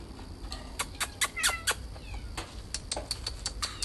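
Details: Domestic cat in a garden on 8 June 2020, giving brief harmonic meows with curving pitch near the middle, amid steady sharp clicking and ticking sounds and low background rumble.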